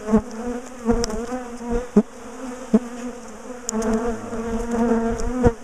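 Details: Large bee colony in a top bar hive, dismantled and moved after chasing people down the garden; rich humming buzz rising and falling in intensity, punctuated by several sharp cracks of hive handling.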